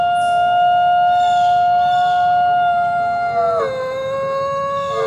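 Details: Howling coyote with a sustained, even, tonal note that dips sharply around three and a half seconds and then settles lower, with a second voice faintly layered above.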